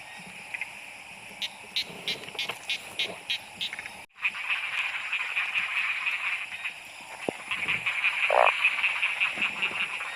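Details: Frogs calling during heavy rain at night in Thailand while people hunt them for food: a chorus of short, rapid clicking croaks, then dense steady rain hiss, with an occasional louder croak.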